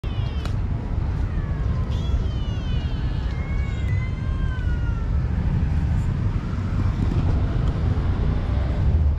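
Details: Hungry kitten hiding under a water tank, giving thin, high, wavering meows in short bursts over the first half, nearly buried beneath a loud, steady low rumble of background noise.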